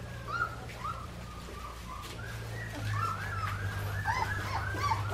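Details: Australian Shepherd puppies from Clementine's litter at Fifteen Acre Farms, Oklahoma, ready for air travel on 12/19/18: several overlapping high, arched whines and whimpers that rise and fall in quick succession over a steady low hum.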